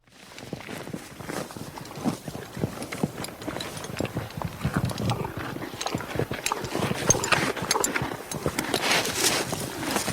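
A horse crunching and tearing grass, with rapid, irregular crisp snaps and chewing noises.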